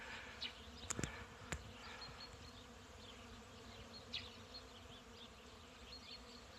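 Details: A steady, low droning hum from many honey bees at an apiary during a spring hive inspection on a warm day above 18 °C in the shade, with a few faint bird chirps and clicks.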